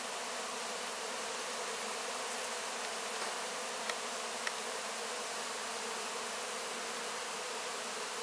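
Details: Honey bees at work on wax cappings after the harvest, filmed at close range: a steady, broad buzzing wash of many wings with two small clicks midway.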